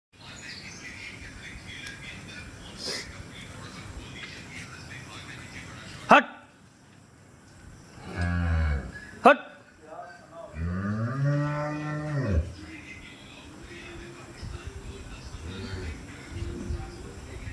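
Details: Cow lowing twice: a short deep moo near eight seconds, then a longer, fuller moo that swells and falls away over about two seconds, with two sharp knocks nearby and a steady low background hum throughout.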